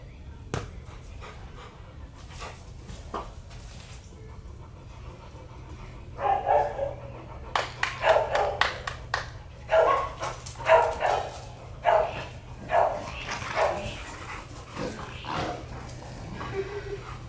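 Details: Rottweiler giving a run of irregular, harsh barks, quiet at first, then a dense burst of loud barks repeated every half second or so over about ten seconds, with clicks and a low background hum.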